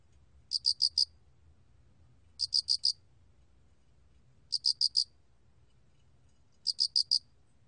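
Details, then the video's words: Loxoblemmus cricket singing in a 2020 National Institute of Biological Resources recording: four clipped, high-pitched pulses bunched into each chirp, with chirps spaced roughly two seconds apart against faint low rumble. "알락귀뚜라미, 여러번 듣기, 곤충소리"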